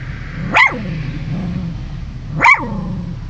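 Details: Dog named Tatiana barks while her tail wags: two short, sharp barks about two seconds apart over a low steady hum, with a person telling her to stop just before.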